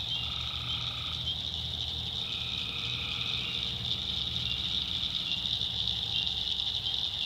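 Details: North Carolina backwoods at night, where tree frogs give a few nasal droning calls early on, then fade under a dense, steady high-pitched shrilling chorus with a faint low rumble beneath.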